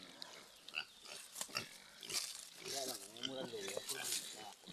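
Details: Farm pigs around a sow that has just farrowed: scattered high squeaks and squeals over steady background hiss, overlapped by a person's wavering voice in the middle.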